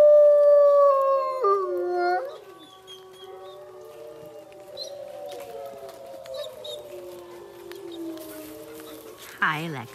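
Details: Lexi, a wolfdog ambassador animal, howling; a long, clear howl wavers and breaks downward, then lower, overlapping sliding howls drift on and fade, ending in a brief noisy burst.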